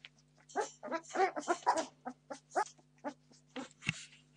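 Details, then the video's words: Litter of 17-day-old Entlebucher Mountain Dog puppies demanding food, giving a busy overlapping chorus of low grunting whimpers and squeaks, many short pulses packed closely, with a faint sniff or thump near the end. "Entlebucher Mountain Dog Puppies 17 days old - demanding food"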